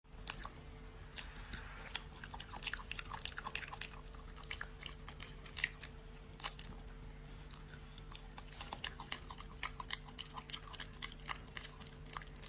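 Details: A dog eating, making funny noises while it chews; irregular crunchy clicks and chewing sounds come in quick bursts over a low steady hum indoors.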